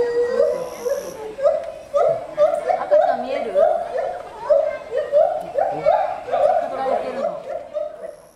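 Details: At Asahiyama Zoo on 24 July 2014, a gibbon performs its song 14 m up: clear, loud hooting tonal notes rising and falling, several a second, in a steady, swelling sequence, with fainter voices and background murmur beneath.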